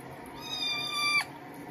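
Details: Kitten meowing while being bathed indoors: a single drawn-out, level then slightly rising meow with bright harmonics lasting under a second, ending abruptly, over a steady background hum of running water.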